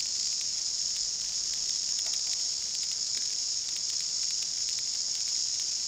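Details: New Zealand chorus cicadas (Amphipsalta zelandica, kihikihi wawa), endemic to New Zealand bush and most numerous in February, make a dense, continuous high-pitched chorus, a steady buzzing roar without breaks, loud enough to distort the close-held camera.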